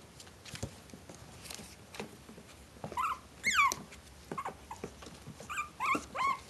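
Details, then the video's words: Maltese Shih Tzu cross puppies at four weeks old, a litter together, letting out thin, squeaky whimpers that swoop up and down, scattered between scuffling and tapping noises. "Litter of Puppies - 4 weeks old"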